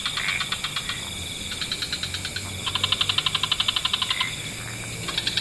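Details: Several frog species chorus in wetlands at dusk, giving rapid, clicking pulse trains in overlapping bursts of several pulses per second. The rattling runs last a second or more over a faint low rumble.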